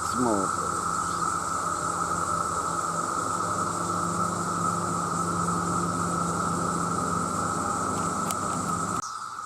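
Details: Huge numbers of male cicadas calling for mates, a loud continuous droning whine, with a steady low hum running beneath and a brief voice-like sound at the start before the level drops near the end.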